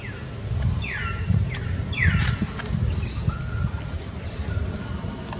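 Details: Frightened baby monkey screaming to alert its mother for help while an angry female monkey attacks it: shrill falling cries sliding down in pitch, three in quick succession, then a short level whistle, over steady low rumbling background noise.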